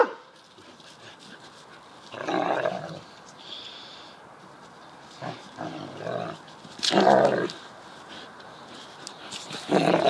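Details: Deerhounds playing in a garden, pup Mackie facing up to Rascal; throaty growling bursts of about a second each come in four bouts, separated by quieter stretches.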